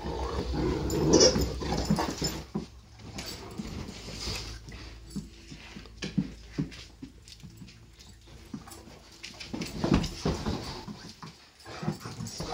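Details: Great Dane. Deep, gruff barks and throaty growls come in uneven bursts from Great Danes at play. Brief whimpers and scuffling noises fill the gaps between louder outbursts.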